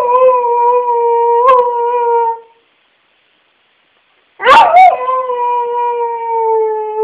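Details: A dog giving long, steady, sustained howls lasting two to three seconds, with a break of silence and a sharp burst at the start of the second howl, no other sounds heard.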